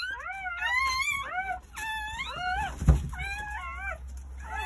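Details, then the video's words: Crying of newborn Jindo puppies, part of nine delivered between 8:30 am and 1 pm on New Year's Day at a rural home: bent, whining squeals in short bursts with a brief thump midway, in a small room. "새해 첫 우렁찬 울음소리와 함께 새생명이 탄생"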